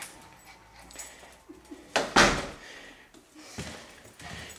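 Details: Female Lhasa Apso kept as a house guard dog, watching from a home window and protecting the house from intruders; a single loud, harsh bark bursts out midway, with a few fainter sounds and quiet indoor room noise around it.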